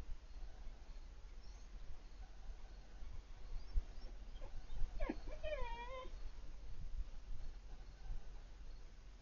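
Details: Piper, a four-month-old female Siberian Husky puppy, cries on seeing Bandit, an older male dog who lives across the street. A short, wavering whine with rising and falling harmonics comes midway, over steady outdoor background noise.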